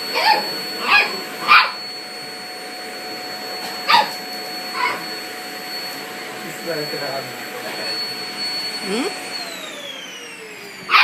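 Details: Toy Poodle that dislikes the vacuum cleaner, confronting it while hanging back: a string of short, sharp barks, several close together early on and more spread out later, over a constant droning vacuum cleaner hum.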